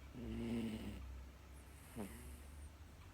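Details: Miniature Dachshund bitch snoring in her sleep: a buzzy, tonal drawn-out snore lasting under a second, then a brief softer snort, with faint background hum.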